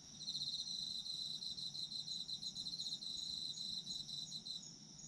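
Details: Autumn insects singing steadily, recorded for sleep ambience: layered high-pitched ringing trills with fast pulsed chirps throughout, several callers overlapping, with a soft low rumble underneath.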